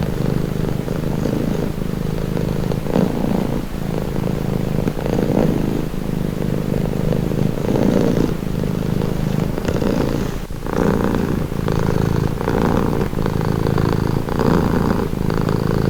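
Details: Steady rumbling purr of a house cat, low and buzzy, pulsing gently in breath-length waves with a brief soft dip midway; otherwise quiet.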